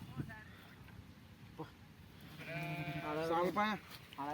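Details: Domestic sheep during milking: after a stretch of quiet talk and faint clicks, a string of short, trembling bleats rises and wavers near the end.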